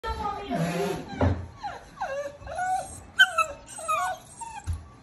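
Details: Cane Corso puppy during kennel training, whining in a string of short high whimpers and yelps, each bending down in pitch, several in quick succession.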